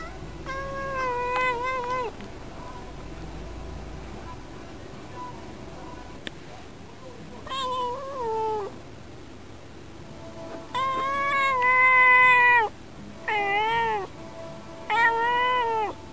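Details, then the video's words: Domestic female cat chatting at a window, a daily habit of talking to birds, seeming lonely and answering her owner; a series of drawn-out, wavering meows in bursts, some rising then falling, with long pauses and a quiet room between. "猫との会話 - Conversation with the cat."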